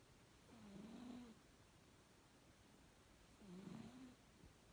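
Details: Bedtime snoring from sleeping house cat M-san: two soft, low, rasping snores with a wavering hum, about three seconds apart, against quiet background hiss.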